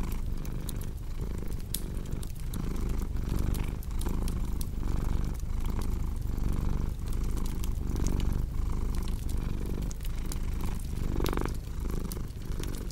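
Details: Domestic cat purring steadily, a low rumbling purr that swells and fades with each breath about every second, while a crackling fireplace pops and snaps throughout.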